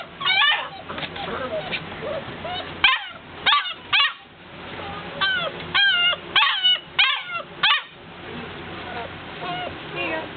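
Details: Several noisy puppies wanting to be let out, uttering high, bent yips and whiny yelps in irregular bursts of two or three, some overlapping, roughly every second, over a steady background hum.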